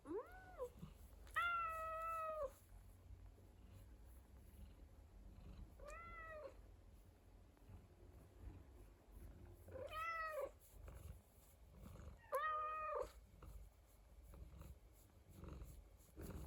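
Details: Domestic cat indoors giving a series of drawn-out meows, each with a rising then falling tone, four to five calls spaced a few seconds apart over a low background rumble.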